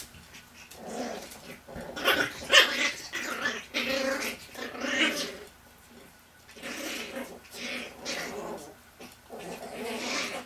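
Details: Eight-week-old Chihuahua puppies, two males and two females, exploring outdoors in Fredericksburg, Virginia; repeated rough growling bursts and squeaky yelps throughout, with brief pauses between rounds of play.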